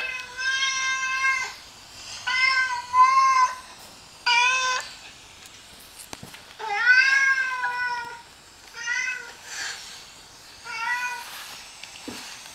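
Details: Domestic cat woken by another cat's voice, reacting indoors as if to an intruder on her territory; long, loud, wavering meows repeated about every one to two seconds, some rising and falling, in a small quiet room.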